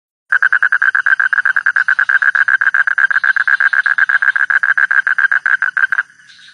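A frog gives a long, rapid series of evenly spaced, mid-pitched croaking pulses.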